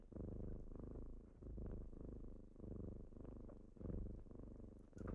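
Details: Kittens purring on a typical morning as they wake their owner indoors: a low, steady rumbling purr that swells and eases in cycles of roughly a second, with faint small clicks.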